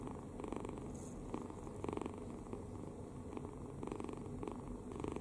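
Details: Deeply asleep kitten, mouth open and relaxed, snoring: raspy bursts come in clear pairs of inhale and exhale roughly every half second, otherwise quiet.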